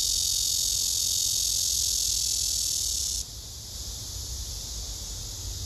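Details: Black cicada, described as nervous and urinating, gives a loud, steady, harsh buzzing drone for about three seconds, then stops abruptly, leaving a fainter continuous buzz in the background.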